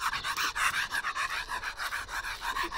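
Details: Close, loud panting by a bull terrier: rapid, evenly spaced breathy huffs repeated without pause, with faint voices nearby.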